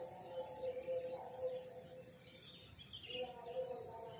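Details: Crickets in the countryside at morning, keeping up a high pulsed chirp throughout while a lower, steady humming tone comes and goes beneath them.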